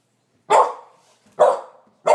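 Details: Puppies Karma and Skye discovering a toy helicopter drone: three sharp, loud barks about a second apart, each dropping off quickly with a short tail, in an otherwise quiet room.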